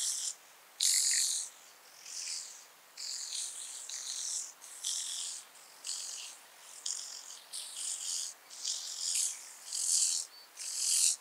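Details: Speckled buzzing grasshopper at Vorderriss, Germany, 11 August 2022, giving a series of harsh, crackling buzz bursts of varied length, about one per second over eleven seconds, with a quiet background.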